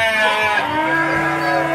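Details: Small young Garut breeding-stock sheep at Cibuluh, Garut, Indonesia: a drawn-out, quavering bleat rich in harmonics fills the whole moment, with other sheep and people faintly behind.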